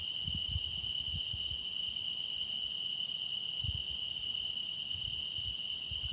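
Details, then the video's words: A continuous bright trill from grass insects, recorded for meditation, rings evenly with quieter high shimmering notes. A few soft low bumps are heard. "깊어가는 풀벌레 노랫소리"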